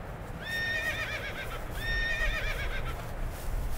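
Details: Wild horses in North America. Two clear whinnies, each high and wavering, with a trembling, falling tail, the second about a second and a half after the first, over a steady low rumble of wind or movement.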